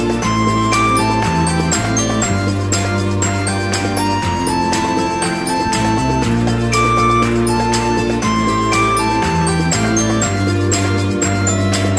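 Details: Bright glockenspiel and marimba-style background music fills the recording steadily, and no frog or other animal call can be picked out.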